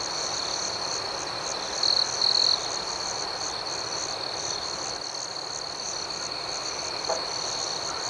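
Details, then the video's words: Steady high-pitched cricket trilling at night, with pulsed chirps repeating about four times per second above it. Two short, louder buzzy bursts come close together early in the clip. "Soothing Cricket Sounds"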